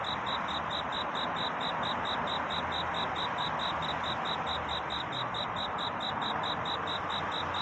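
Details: Courting cricket at night, repeating clipped, high, bell-like pulses about four times a second without pause, over a constant broadband hiss.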